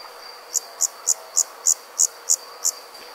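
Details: Countryside insects on a summer night: after a brief quiet start, eight evenly spaced, piercing high chirps about three per second, backed by an unbroken high-pitched buzz.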